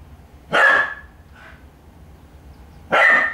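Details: Puppy barking while playing with a cat that is stalking it in attack mode; two sharp, yappy barks about two and a half seconds apart, with a faint short yip between them over quiet indoor background.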